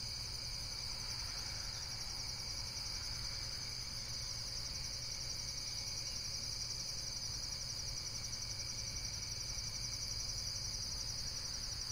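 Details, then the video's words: Insects calling in a steady, high-pitched shimmering trill made of rapid pulses that runs without pause, over a constant low rumble of background noise. "Relaxation Video with Various Nature & Insects Sounds"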